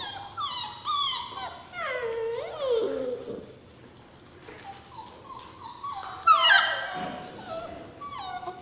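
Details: Rescue puppies, several young dogs, whimpering and whining in high, wavering tones that bend up and down, overlapping cries with short gaps and a louder burst of yelps near the end.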